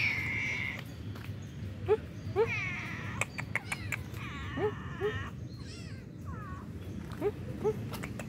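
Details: Stray cats living on the road, getting up and asking for food as someone arrives; several short arched meows overlap with sharp clicks and faint chirps above a steady low rumble.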